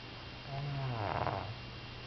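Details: Rin, a one-year-three-month-old female Pug, snoring in her sleep: one drawn-out, low rasping snore lasting about a second over a steady indoor hum.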